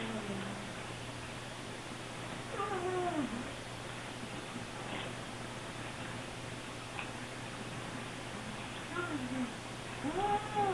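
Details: Hungry Siamese kittens calling indoors when the refrigerator is opened, two hours after their last meal; a few drawn-out wavering meows, some overlapping, over a steady electrical hum with faint rustling.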